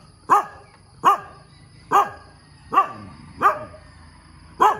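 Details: Dog barking in the morning, six sharp separate barks spaced under a second apart, each loud and brief with a bright harmonic ring, a faint steady high hum underneath.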